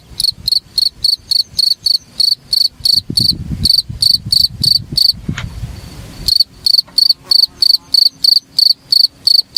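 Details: Cricket chirping, used as masteran material to train Oriental magpie-robin song; rapid, evenly spaced shrill pulses. They are interrupted midway by a few seconds of low clattering noise, then continue.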